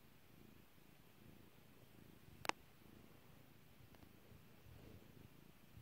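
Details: Kairi, a pet cat, purrs softly while being petted, a low rumbling hum that runs steadily through the clip, broken once midway by a sharp popping click.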